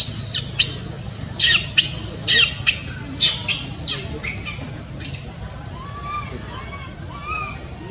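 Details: Shrill cries of a baby monkey needing its mother: loud piercing screams repeat about once a second for five seconds, then fade into softer rising tonal notes.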